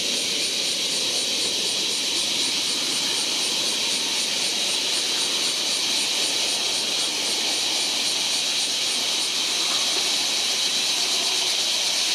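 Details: Large brown cicada recorded in July, a dense, unbroken sizzling buzz like hot frying oil, steady in loudness throughout, with a faint rapid pulsing texture in the upper register.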